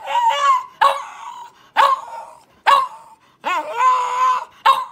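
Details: French Bulldog, a rescued dog left for dead, indoors, making loud nasal yowls and groaning whines, six bursts in five seconds, one drawn-out wavering moan near the end.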